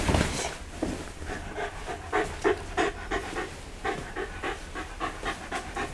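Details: A Shiba Inu dog at home in Yaizu, Shizuoka, Japan, recorded 28 November 2015, panting in quick, uneven breaths about three per second, with a low rumble underneath.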